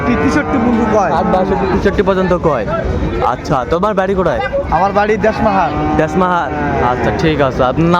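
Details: Sahiwal bull calves being traded at Ambari market, Dinajpur, 21 March 2025, as the market opens; moaning moos rise and fall amid constant overlapping male voices haggling over prices and crowd noise.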